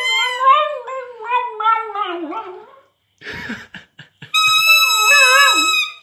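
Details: A female Cavalier King Charles spaniel × West Highland terrier cross sings in long, wavering howls that slide up and down in pitch, a noise she had never made before.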